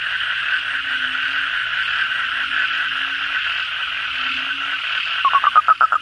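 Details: Night chorus of Asian common toads after heavy rain: a continuous buzzing wall of many calling toads with occasional low, drawn-out croaks. Near the end a nearby toad starts a rapid series of loud pulsed notes.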